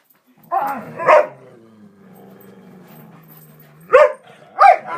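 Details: Three pet dogs indoors, very vocal and excited as walk time nears, playing noisily: sharp barks at the start and end framing a long, low, steady growl between them.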